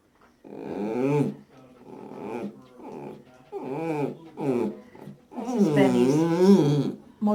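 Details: Blind 19-year-old Dachshund indoors making its motorcycle-like vocal sound: a series of low, wavering, engine-like grumbling moans in bursts of about one second, ending in a longer rolling groan.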